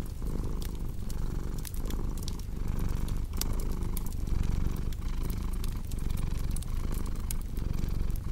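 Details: Cat purring in a soft, rumbling drone that pulses with each breath, strongest in the low register, as a fireplace crackles and pops in the background.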